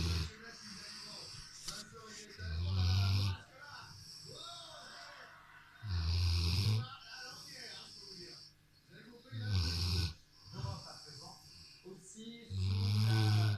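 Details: Rottweiler lying on a sofa snores steadily: four low, rough, rumbling snores spaced about three seconds apart, with faint murmuring between each breath.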